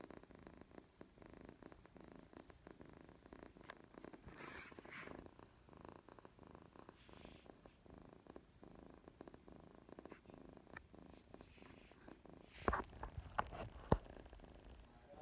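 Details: A female kitten purrs in a low, steady rumble at bedtime, with a few soft clicks and rustles close by. She had refused food, had diarrhea and vomited earlier that day.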